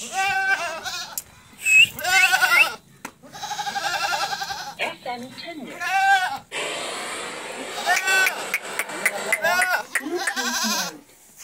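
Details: Several bleats from Barbari goats in Etawah, Uttar Pradesh, India: wavering, nasal calls rising and falling, repeated through the recording, with human voices talking in between.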